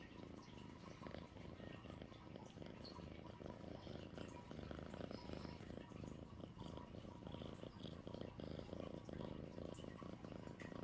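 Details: Purring from the pet cat Sweet Pea, a low throbbing rumble that swells and fades in loudness, with some faint rustling over the top.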